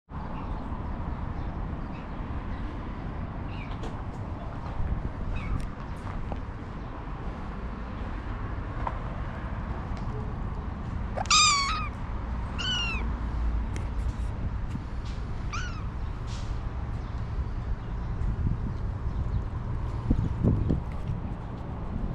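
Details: Homeless stray cat named Selena Gomez in Ras Al Khaimah, UAE, gives three short, falling meows in the middle of the clip over a constant low rumble of passing traffic and street noise.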